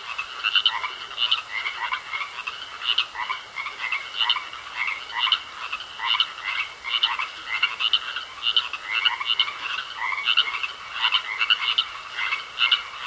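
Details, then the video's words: A chorus of frogs in a pond croaks without pause, short rasping pulses repeating about twice a second in an even rhythm from many overlapping voices, with a faint continuous high tone behind them. "Sounds Of Frogs Croaking In A Pond"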